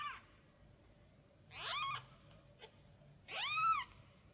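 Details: Tiny kitten crying out while looking for its mother cat: a short high cry, then two rising-and-falling harmonic meows, the last one loudest, in a quiet room.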